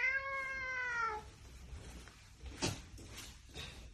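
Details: Domestic cat after a shower giving one clear, slightly falling meow lasting about a second, followed by soft knocks and rustling.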